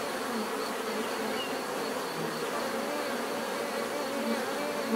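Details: Natural buzzing of bees: a thick, steady drone of many insects, individual wingbeat tones wavering slightly up and down over a constant hum, with a thin high whine running underneath.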